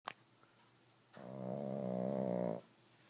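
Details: Sleeping pug snoring: one long, steady, harmonic rasping snore lasting about a second and a half, after a short click at the start.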